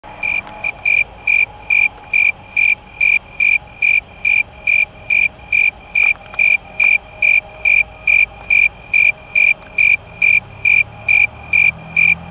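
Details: A snowy tree cricket in a crab apple tree, recorded close up on August 2, 2017, sings steady, pure-toned chirps, a little over two each second, in an even rhythm.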